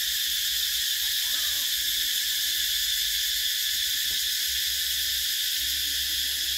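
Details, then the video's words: Summer cicadas, 2024: an unbroken, high-pitched buzzing chorus at a flat, steady level, with one or two faint low chirps and a soft tick beneath. "Tiếng Ve Sầu kêu mùa hè"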